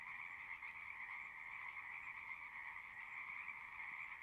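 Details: Frogs calling at a pond in a horse pasture: a dense, steady chorus of overlapping trilled croaks, continuous throughout with no pauses, bright and mid-high in pitch, recorded with a Zoom handheld recorder.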